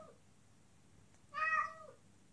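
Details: A female cat in heat calls toward a male outside with one loud, drawn-out meow near the middle, rich in harmonics and sliding down at the end, after a faint tail of an earlier call.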